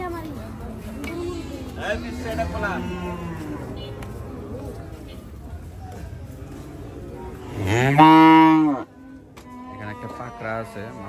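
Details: At Hazratpur haat cattle market, cattle unloaded from a truck; soft lowing early on, then one loud, drawn-out moo near the end, under background music and people talking.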